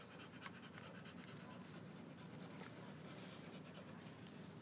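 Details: Pit bull Hunter, drowsy after a walk and run, breathes in quick soft pants. The rhythmic breaths are faint and steady against a constant low hiss.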